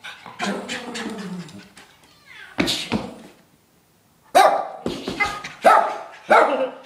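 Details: Two pet dogs playing; a low growly vocalization opens, followed after a silent gap by several sharp, irregular barks and yips.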